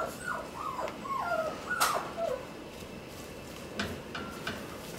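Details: One-month-old Shiba Inu puppy on its second day in the room, mostly lying still and sleeping. It gives soft, high whimpers that slide downward, several close together in the first two seconds, then fainter ones over quiet indoor background.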